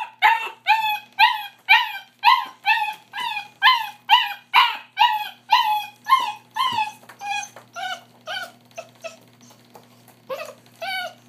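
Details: A puppy whimpers while being bathed, giving rapid, arched whines roughly twice per second, strong at first and then fading into softer, sparser cries toward the end over a faint steady background hum.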